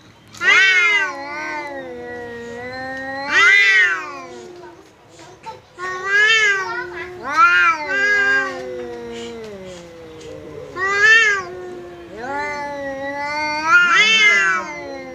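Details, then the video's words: Domestic cat fighting with a visiting cat, standing its ground in a vocal standoff; long harmonic-rich yowls that swell and fall, rising into loud wailing peaks every few seconds, with quieter drawn-out moans between. "Kucing Berantem!! Kedatangan Tamu, KucingKu Langsung Pasang Badan dan Adu Mulut"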